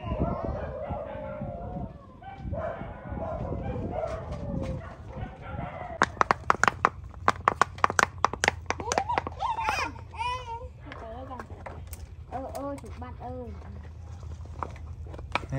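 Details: Pet puppy at home, digging in the ground and playing, having met small termites; short high yips and whimpers bending up and down in pitch come in quick bursts, over scratchy clicks of digging and people talking in Vietnamese.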